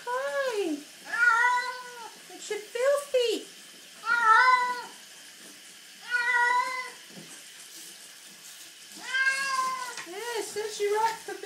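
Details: Female house cat complaining loudly during a bath after rolling in dirt: repeated long arching meows in bursts, several close together, then pauses, then another wailing series, with a person speaking in a small room.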